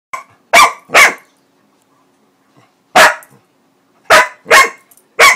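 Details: Lucy, a female Pitbull-Corgi mix dog confronting whipped cream, gives loud, sharp barks, mostly in quick pairs with short pauses.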